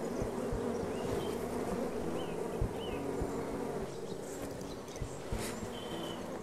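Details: Honey bees kept for artificial queen rearing give a dense, steady droning hum, a low buzz that holds without break, with scattered soft clicks and faint short chirps above it.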